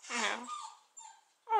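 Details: Seven-week-old Keeshond puppies from a recent litter: brief high, thin whining whimpers with a rising-falling tone, the last one a strong harmonic whine, mixed with a person's voice at the start.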